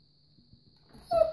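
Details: Weimaraner. A Weimaraner lets out a short, thin whine that rises out of near silence and holds a steady pitch. The whimpering sound is the dog begging for treats.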